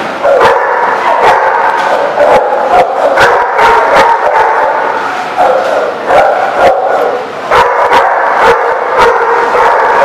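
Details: Dogs barking at a dog lot on November 25, 2017: loud, sharp barks repeated in quick bursts, often several per second, with brief pauses near the middle and steady background noise.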